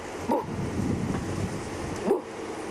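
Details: At sunset on 2 April in Sabi Sand, an impala gives two short, harsh alarm barks about two seconds apart over a soft wind-like rush, alarmed at a male leopard that came up from a drainage line.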